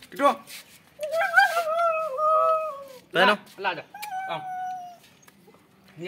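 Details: Female Siberian Husky named Kittu, excited about going out, voices long wavering whines, sustained and slightly falling, between bursts of a woman's speech urging her to wear the collar, indoors.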